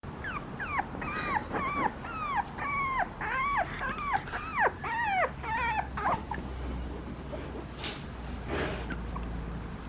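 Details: Papillon puppy whimpering indoors: a rapid series of high, whiny, bending squeals, each rising then falling, repeated roughly twice a second for six seconds before fading into quiet background hiss with a faint thump.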